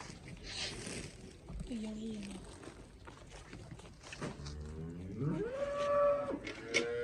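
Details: Cholistani cross cow in Pakistan lowing once in a long, drawn moo that starts low and climbs to a higher, steady, strained tone before fading, over a background of men talking and shouting.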